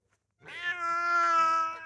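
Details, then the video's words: Male Bengal cat, a talkative cat with a Bengal mother and tom cat father, gives one long, steady, drawn-out meow lasting about a second and a half, rich and tonal, starting after a brief silence. "Before You Consider Getting A Bengal Cat, Listen To This..It Never Stops"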